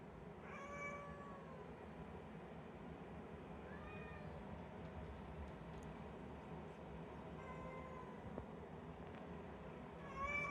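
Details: Domestic cat, tagged as calico and tabby, giving a few quiet, thin meows spaced several seconds apart, each a short falling or level tone, over a steady background hum.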